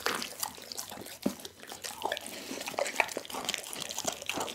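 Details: Wet, dripping mouth sounds as Dougie the pit bull works on a whole raw chicken indoors, with scattered soft crunches and smacking.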